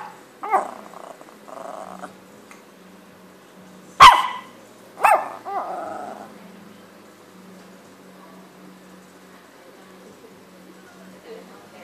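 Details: Chocky, a small dog, barking: a few sharp barks spaced over the first six seconds, one loud abrupt yelp-like bark near four seconds, then quiet room tone with a faint low hum.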